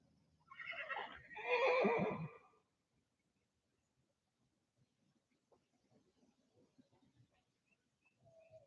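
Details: A horse on a farm on a windy spring day in Michigan gives one loud, quavering whinny lasting about two seconds, then falls quiet; soft scattered rustles and faint distant bird notes follow.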